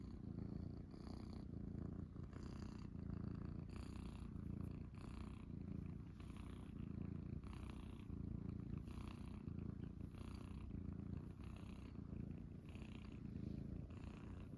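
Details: Several Munchkin kittens, Pocha, Chabo and Kuro, lounging on an owner's belly in the morning, purring in a strong, unbroken rumble, with soft, rhythmic rustling noises recurring about every second.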